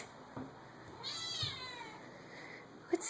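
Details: A crying house cat indoors gives one drawn-out, wavering meow that rises and then falls over about half a second, with faint room noise and a short bump of sound at the end.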